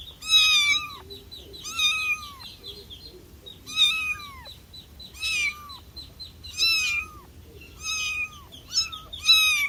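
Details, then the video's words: Domestic cat meowing loudly, a series of drawn-out, whiny meows that bend down at the end, coming about once every one to two seconds with short pauses between them; background otherwise quiet. "Cat Sounds for calling cats, cats meowing"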